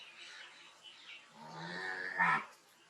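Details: Cow mooing at moderate volume, a short harmonic bellow that swells and then cuts off, set against a hissy background with faint chirping sounds.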